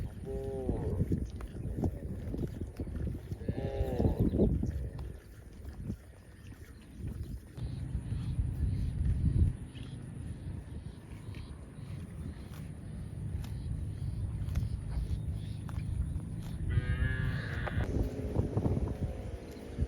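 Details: Cows out in the fields calling for companions: a few wavering, harmonic moos early on, a long low hum through the middle, and a higher drawn-out call near the end.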